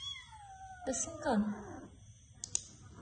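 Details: A cat gives a short strained meow indoors after a long falling tone, with voices around it and a couple of sharp clicks near the end.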